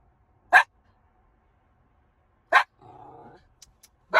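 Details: Miniature schnauzer Ginger, left waiting in the car, barks in single abrupt yaps roughly every two seconds, three in all, with a brief low murmur between the second and third.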